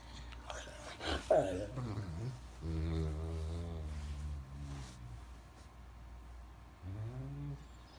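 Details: Max the Great Dane groaning and yawning as he rises from bed, with a short sliding whine, a sustained low moaning groan of about two seconds, and a final brief rising moan.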